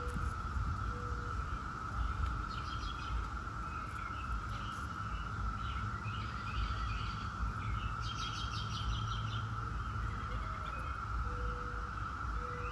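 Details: A continuous whining drone from 17-year Brood X periodical cicadas fills the background, overlaid by frequent bird chirps and trills and a few brief low whistles, with low rumble underneath.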